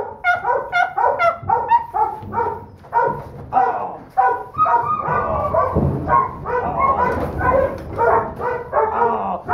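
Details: Smallest pup of a Donovan Pinscher litter, a holdback female, barks and yaps continuously in quick, ragged bursts, with shrill harmonics and occasional rough, growly notes and no clear pauses.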